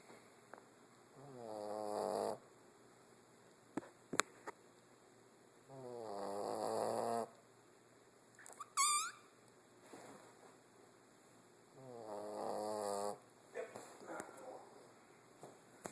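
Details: Soap, a pet cat, snoring: three long buzzy, throaty breaths about two seconds each, spaced roughly five seconds apart, with a short sharp chirping sound and a few faint clicks between them in a quiet room.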